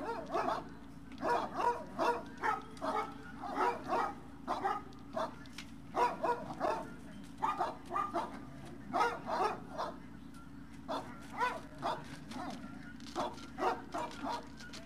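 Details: Dogs at the Service Dog Project in Ipswich, Massachusetts, USA, at breakfast on February 8, 2017: many short barks and yips repeated about once a second, several dogs overlapping, over a steady low hum.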